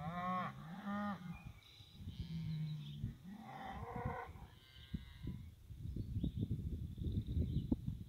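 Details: Cows and calves on a farm heading out to green summer pasture. Several deep, drawn-out moos with rich overtones fill the first four seconds, some bending in pitch. After that comes a stretch of irregular thumping and rustling noise with no further calls.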